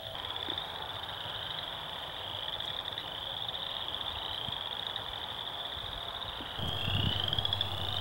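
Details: A loud chorus of chorus frogs at a spring wetland just after the ice thaw, their high, rasping trills like fingers run along a comb's teeth.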